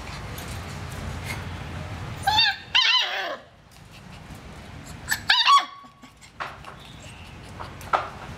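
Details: Purebred Dalmatian, also called spotted dog, gives two short whining yelps with a bending, wavering pitch, separated by about three seconds of quiet background noise.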